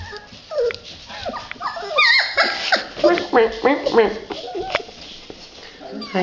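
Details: Red Standard Poodle puppies in a whelping box let out rapid, bouncy, squeaky whimpers and yips in quick bursts, while a man talks softly to them indoors.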